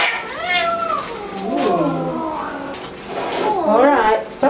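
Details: Angry domestic cat throwing a tantrum at a home vet visit, indoors; drawn-out wavering yowls sliding up and down, with a person saying stop and background music.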